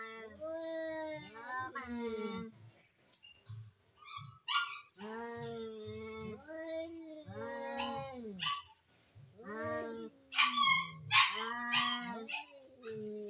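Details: Fighting cats in a duel trade long, quavering yowls that bend up and down, repeated in bursts with short gaps, plus a few sharp higher squeals and a faint constant hum.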